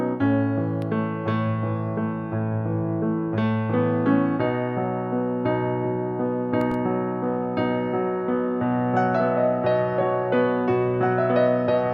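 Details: Electric piano music plays steady chords and melody throughout, with no animal sound.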